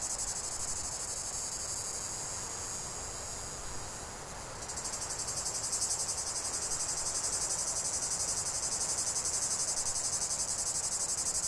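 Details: Chorus of cicadas in a 45-minute nature recording: continuous high buzzing that dips slightly, then surges around four seconds into a stronger, regularly pulsing drone.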